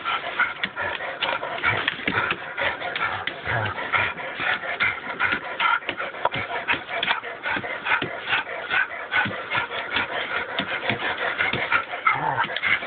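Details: Twelve-year-old pet dog, still puppyish, playing tug-of-war with his beloved blue toy: a continuous rough, raspy growling that pulses irregularly for the whole stretch, mixed with scuffling and shuffling noises of the tussle.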